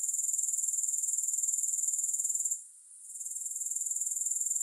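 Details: Grasshoppers give a high, rapid, pulsed trill. It fades briefly near the end, then swells back; no other sounds.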